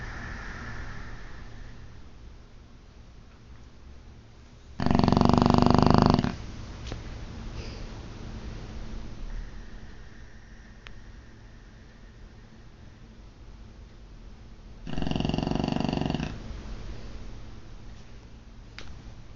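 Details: Sleeping Boxer named Ozzy snoring loudly in a small room: two loud rattling snores about ten seconds apart, each lasting over a second, with soft breathing between.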